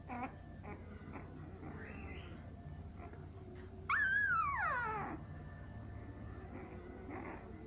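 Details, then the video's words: Siberian Husky puppies at seven days old in a small room: quiet murmuring, then one loud, drawn-out whine that starts high and slides steadily downward for about a second. "Siberian Husky puppies 7 days old"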